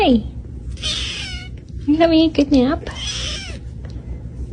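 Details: Domestic cat in a funny pet compilation giving short, wavering meows and chirps in the middle, preceded and followed by hissy breathy sounds and a steady low hum in the background.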